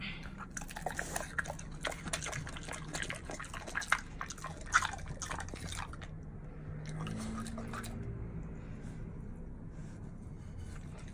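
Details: A male mini pig chews food noisily, with wet, crunchy smacking bursts fading into quieter munching; he stops when it tastes good.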